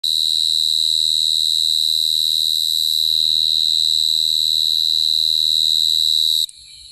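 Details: Cricket singing close by: a loud, unbroken high-pitched trill holding one steady pitch for about six and a half seconds, then cutting off abruptly, leaving faint low background hum.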